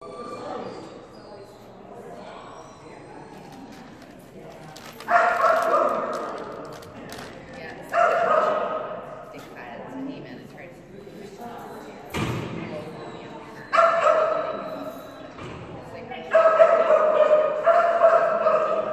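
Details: Kerry Blue Terrier named Phenix, a female, during an agility class run that went badly; sharp barks burst out in several loud bouts spaced a few seconds apart, separated by quieter stretches of background noise.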